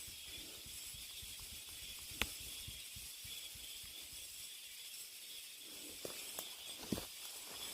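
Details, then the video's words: A constant thin, high cicada hiss fills a deep mountain forest, overlaid by scattered soft ticks, a sharp snap around the middle and a few light knocks toward the end. "깊은 산속의 매미소리"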